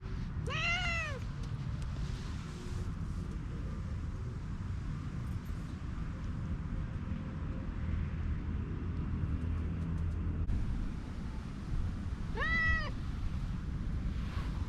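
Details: Orange-and-white cat with a cute voice giving two clear, tonal meows, rising then falling, about eleven seconds apart, over steady low background rumble.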